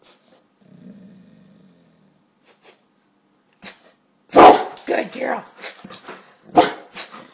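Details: Two pet dogs, Gia the cane corso and Deuce the bullmastiff, doing tricks and barking on command at home; a low soft growl first, then one sharp bark followed by a person's praising talk.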